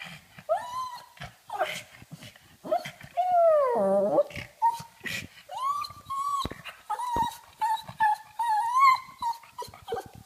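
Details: Pug wanting to play, she makes funny drawn-out whines and moaning howls that swoop down and up, with short squeaks between and a long wavering whine near the end, indoors.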